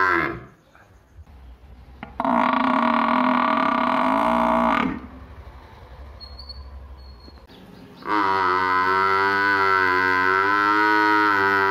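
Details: Buffalo kept in a village calling twice: a nasal moo of under three seconds, then a quiet gap with faint background, then a second, longer and louder harmonic moo that runs to the end.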